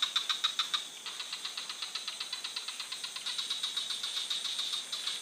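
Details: Chorus of frogs giving fast, evenly spaced clicking pulses; a few loud strokes open, then a softer continuous rattle follows with overlapping callers.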